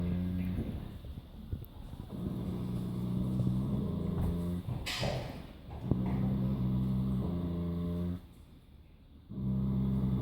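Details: Friesian horse snoring: deep, droning, low rumbles held for about two seconds each, broken by short pauses and a brief quiet gap near the end, with faint background hiss.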